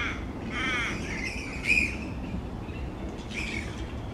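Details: Noisy grey-headed flying foxes roosting upside down in a large tree colony: a quavering nasal screech, a sharp strident squeal, then a fainter rasping call, against a steady low rumble.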